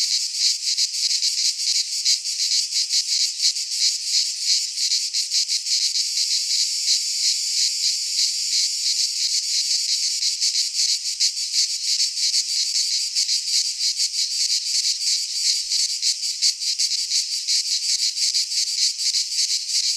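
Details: In a Greek pine forest at midsummer, massed cicadas keep up a continuous sizzling drone, high and grainy, with fast flickering pulses and no birds or wind audible.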